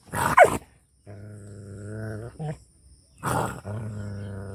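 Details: Angry village dog in rural Punjab, Pakistan, giving a short harsh bark, then a long steady low moaning howl, a quick yelp, another bark, and a second drawn-out howl.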